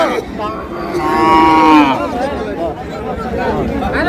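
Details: A cow at the Aftabganj cattle market (haat) in Bangladesh, among thin, bony cows for sale, gives one loud, drawn-out, slightly rising moo lasting about a second, with market chatter and crowd noise around it.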